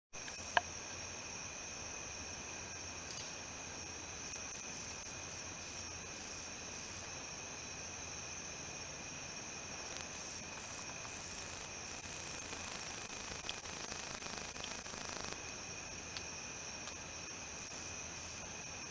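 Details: Male wingless meadow katydid (Odontoxiphidium apterum) stridulating: very high, hissy buzz bursts, short ones in quick runs, then one long sustained buzz of about five seconds, then a few more brief bursts; steady faint background hum.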